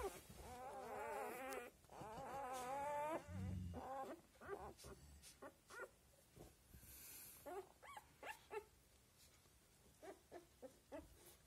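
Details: Seven-day-old Australian Labradoodle puppies: long wavering, harmonic whines fill the first three seconds, followed by a run of short squeaks and yelps at irregular intervals.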